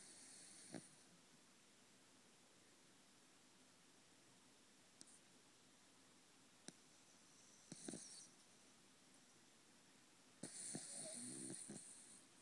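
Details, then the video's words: Mr. Kirby, a Corgi aged three and a half, deep asleep and snoring like a buzz saw: a few rough, broad snores, one short burst early, another near eight seconds and a longer rasping snore near the end, with quiet room between. "The Snoring Corgi"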